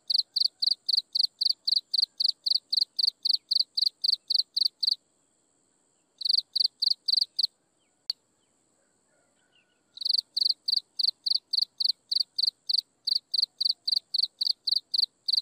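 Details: Insects chirping at sunset: rapid, evenly spaced high pulses, with a short silent gap partway through.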